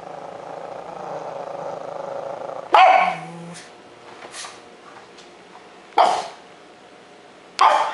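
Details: Pet dog named Otto in Joinville, Santa Catarina, Brazil, waking up scared indoors: quiet snoring-like breathing, then a sudden loud bark with a low growl after, followed by two more sharp barks spaced about three seconds apart.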